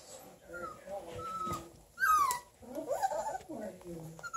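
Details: A 4-week-old male Bluetick Coonhound puppy gives thin, high whines and a sharp falling yelp, with people talking nearby. He was the most vocal of his brothers in their box and was let out to wander; Ontario, Canada.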